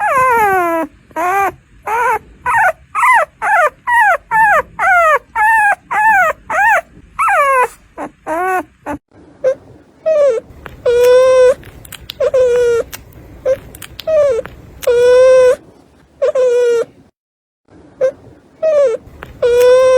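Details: Newborn puppies, up to four days old and born by caesarean section, cry while nursing: rapid, high arched whimpers about three per second, then steadier, flatter, loud cries at longer intervals, with brief pauses.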